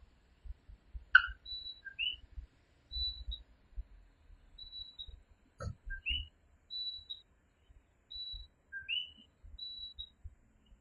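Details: Coquí tree frog chorus at night in Puerto Rico, clean and close: a brief low note followed by an upswept whistle, repeated at intervals, alternating with thin high peeps, over soft low thuds and one sharp click.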